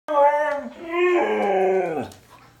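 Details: Husky/Malamute mix dog up for adoption gives a short two-part howl, a rich harmonic note that dips, then rises into a longer steady tone before sliding down and fading.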